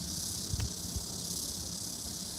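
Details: In Suwon, South Korea, a cicada's steady, high, hissing drone runs through the whole recording over low background rumble.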